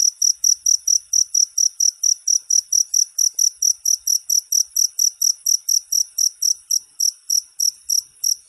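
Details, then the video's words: Model cricket chirps for training songbirds: high, sharp pulses repeated briskly, around three and a half per second, with a slightly loose rhythm, alone in a quiet setting. "Suara masteran jangkrik untuk segala burung kicau"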